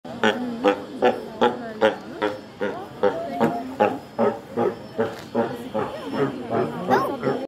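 A sea lion gives a rapid string of hoarse, honking barks, about two or three each second.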